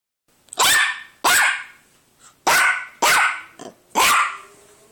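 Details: A Yorkshire Terrier "talking" to its owner, giving a series of sharp, high-pitched yapping barks in quick succession.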